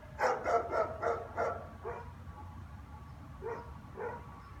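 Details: German Shepherd standing and barking at an empty street in the afternoon, a habit repeated every day; a rapid run of five or six loud barks opens, then two softer spaced barks follow over a faint low rumble.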